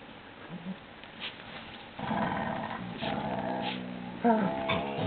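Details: Labrador Retriever and a Papillon playing together; after a quiet start, a sustained, harmonic, grumbling growl runs through the second half, then a louder, higher, whine-like note breaks in near the end, with a few soft thumps earlier.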